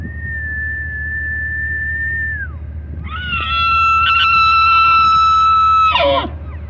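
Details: A bull elk right outside Rocky Mountain National Park, Colorado, bugles up close, giving a long, high, piercing whistle that ends in a sharp downward slide.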